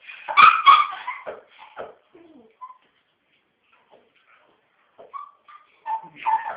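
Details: Puppies crying for their parents: a burst of loud, harsh yelping cries at the start, then a quiet gap, then short thin whines and a final louder whimpering cry.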